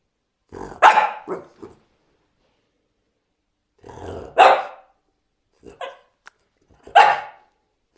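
A French Bulldog 'talks' in three grumbling, yowling bursts separated by quiet pauses.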